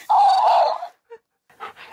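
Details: Siberian Husky indoors, vocalizing at a talking, dancing cactus toy: a loud, drawn-out, wavering howl-like 'talk' of under a second, followed by short quiet sounds and faint voices.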